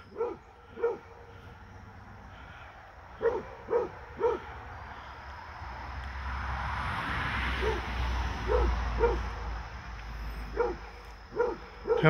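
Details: Basset Hound named Fred at play with a deer that visits him: scattered bursts of two or three rich baying barks, a broad rushing noise swelling through the middle, then more barks near the end.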